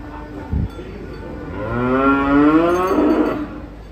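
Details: A cow being unloaded from a truck to take part in a contest gives a long, rising, harmonic moo lasting about two seconds, swelling in loudness midway, preceded by a brief thump.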